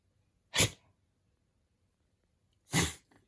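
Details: Two separate explosive sneezes about two seconds apart from Kotaro, a rescued male Shiba Inu suffering pollen allergy during the pollen season, each a short loud hiss in an otherwise silent room.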